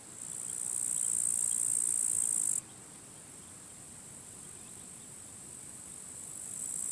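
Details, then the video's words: A sunny, windy summer day at the end of July, with grasshoppers crackling in completely withered grass at the forest edge. A loud, high, continuous buzz stops suddenly after a few seconds, then fainter hissing rises again at the close. "Wind noise and grasshoppers crackling"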